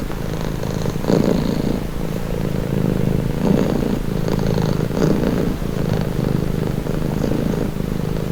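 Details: A cat's continuous low purr, rhythmic pulses of inhale and exhale about every one to two seconds, deep and rumbling, recorded close up in a quiet setting.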